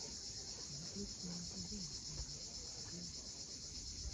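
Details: Crimean cicadas at sunset above the sea at Cape Fiolent: a dense, even, high buzzing wall of sound without pauses, with waves washing softly below.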